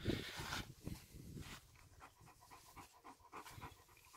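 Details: Major, a German Shepherd at his owner's dinner on a hot day, pants in soft rapid breaths, roughly two a second, loosely paced, with a brief clatter at the start.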